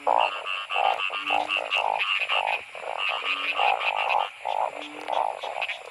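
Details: Narrow-mouthed frogs calling during heavy rain while being caught by torchlight for a seasonal boiled dish; loud nasal croaks repeat about twice a second in an overlapping chorus, with a faint steady high hiss behind.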